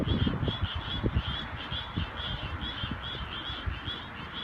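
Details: Suwon treefrogs singing alone in daytime, recorded on a cell phone at low quality: a rapid train of short pulsed notes repeated steadily throughout, over heavy low rumbling handling and background noise.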